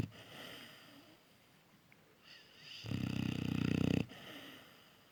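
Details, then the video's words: Sleeping Cane Corso puppy snoring loudly: soft breaths, then about a second of rapid, rattling vibrating snore, fading back to quieter breathing. "Щенок Кане-Корсо крепко спит😊😊😊и громко храпит"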